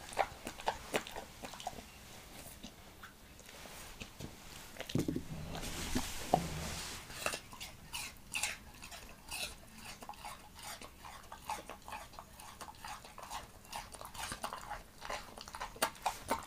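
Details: Apple being eaten by Montana the Leonberger: a few crunches, a brief shuffling rustle, then rhythmic wet chewing about two bites per second, crisp and close.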